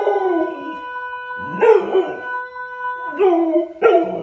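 A Chow Chow gives short, wavering howls that rise and fall, over a steady humming tone.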